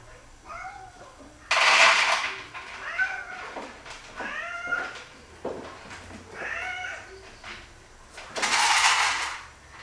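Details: Indoors at feeding time, four excited male house cats, three taken in as strays and one from a shelter, jump for food. They give several arched, rising-then-falling meows, broken by two loud bursts of rustling and clattering.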